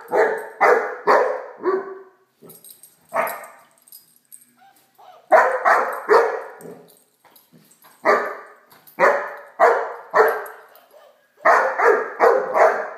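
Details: Playful barking from Blacky, a Great Dane puppy, at a toy dog: rapid clusters of three or four sharp barks separated by short pauses, repeating through the recording.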